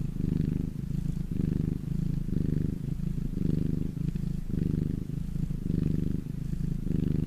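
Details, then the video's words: Purring domestic cat resting in the sun, a deep, vibrating rumble that swells and eases in regular beats roughly every second across the whole stretch. "my cat purring in the sun"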